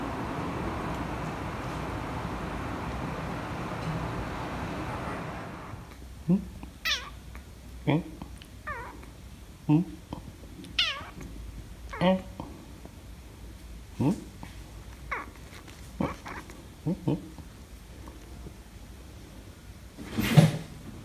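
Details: Rescued stray kitten and a tabby cat meeting for the first time at home; after five seconds of low hum, short sharp mews recur every second or two with a steady background rumble.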